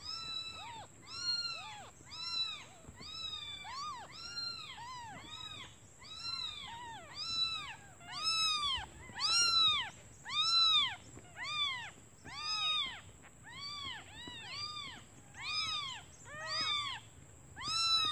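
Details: Newborn kittens calling for their mother out of hunger while she is away foraging; a rapid series of high, arched mews, roughly one per second, several voices overlapping and rising and falling in loudness, with a steady faint high tone in the background.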